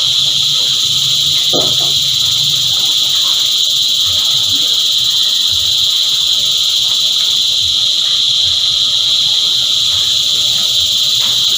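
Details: A sustained, shimmering high buzz comes from a group of cicadas singing together. A single sharp click sounds early on, and the drone stays steady to the end.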